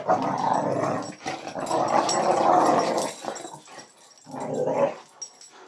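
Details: Play-bullying by Bonita, a female Boxer, toward Scrubby the border collie. A sustained guttural growl runs for about three seconds, then after a short pause a final shorter growl follows.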